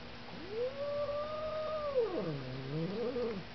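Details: Pet cat named Ghetto yowls indoors while attacking a vacuum cleaner: one long drawn-out cry that rises, holds steady for over a second, then drops into a lower, wavering moan, lasting about three seconds over a faint background hum.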